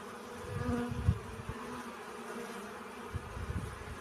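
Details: Honey bees busy collecting pollen: an even, low hum runs throughout, with a brief louder buzz and a sharp thump about one second in, then scattered soft rustles.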